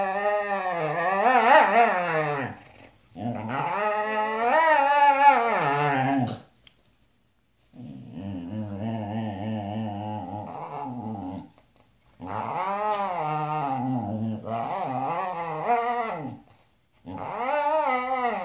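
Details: Pet Siberian Husky singing in long, rising-and-falling yodelling howls lasting several seconds each, with one lower, rougher growling stretch in the middle and brief silent pauses between phrases.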